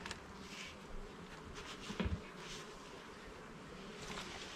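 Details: Soft, low humming of a honey bee colony while a keeper inspects the hive frames in a garden; the dense drone holds steady throughout, broken by a brief thump midway and light scraping.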